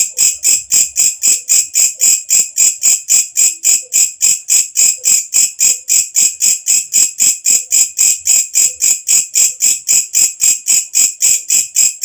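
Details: Night-calling katydid known locally as walang kecek: a shrill, rhythmic series of high buzzy chirps, evenly spaced at close to four a second, sustained without pause.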